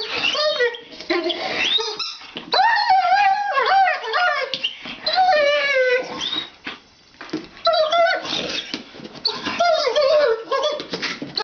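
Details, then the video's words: Foster Greyhound female, very vocal during play: bursts of warbling, whining and squealing calls that slide up and down, strung into long singing-like phrases with brief gaps, recorded in a small room. "Singing Greyhound"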